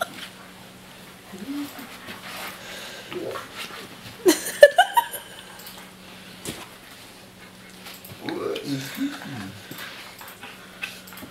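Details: An Alaskan Malamute, one of three malamutes living with a German Shepherd, gives short, rising, yodelling howls to wake a friend sleeping in the lounge room, while a person talks to it.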